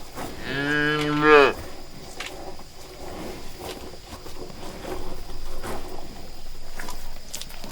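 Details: A cow searching for food with others in a green meadow pasture gives one loud, low moo lasting about a second, rising slightly at the end.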